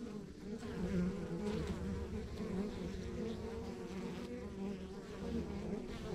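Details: From a rural backyard beehive, honey bees produce an unbroken buzzy hum with overlapping tones and faint flickers of individual bees passing close.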